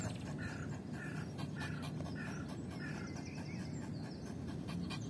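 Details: A female Yorkshire Terrier pants after fetching a ball during play. The breathing is quick, rhythmic and soft, with faint, regularly spaced puffs and a steady low hum beneath.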